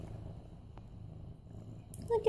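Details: Mufasa, a male medium-hair orange tabby cat almost 8 months old, purring while being petted on September 28, 2015: a steady low rumbling drone throughout, with a brief higher voiced sound near the end.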